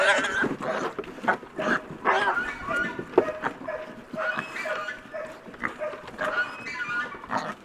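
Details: Piglets at breakfast feeding time: a busy chorus of overlapping short squeals and grunts from several animals, coming in quick irregular bursts without pause.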